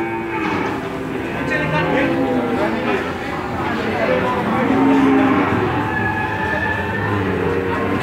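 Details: Crowded cattle market in Randudongkal, Pemalang, as calves come off a truck; several overlapping low, sustained moos rise over constant crowd murmur and people talking.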